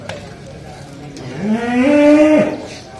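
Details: Cattle being loaded onto a pickup truck in Indonesia: one loud, drawn-out moo rising in steps and then holding steady for about a second before breaking off, over a faint background murmur.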